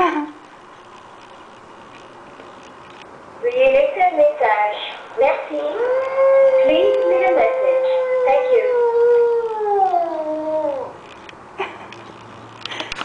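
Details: A male Shih Tzu howls in long, wavering, mid-pitched cries that hold steady, then slide downward at the end. He cries on hearing his owner's voice on an answering machine.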